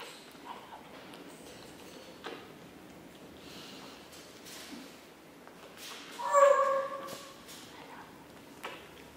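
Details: Chihuahua puppies recorded on 9 April 2016: one short, high, tonal whimper lasting about half a second, rising then falling, stands out against an otherwise quiet indoor background with faint rustling and soft knocks.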